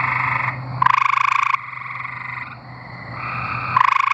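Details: Tree frogs singing in Arkansas: several overlapping pulsed trills, each a rapid rattling buzz lasting about half a second to a second, one voice starting sharply just before the end.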